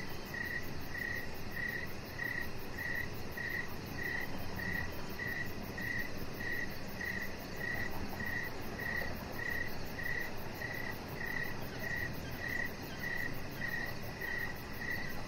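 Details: Crickets chirping on an outdoor deck in the evening, a steady high-pitched trill of short pulses repeating about one and a half times per second over a soft, constant background hiss.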